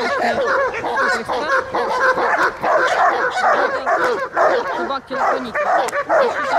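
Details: German Shepherd in guard and protection training at a park in Odesa, 9 July 2022, barking fast and continuously, about two barks a second in an uneven run of sharp, ringing yaps with no pause.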